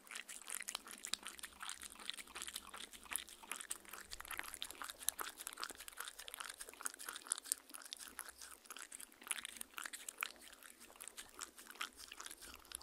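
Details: Indoors, Mindy the dog drinks from a fancy glass, captured up close with a Tascam R-40 recorder; continuous rapid lapping ticks and watery smacks, even and unbroken, no voices.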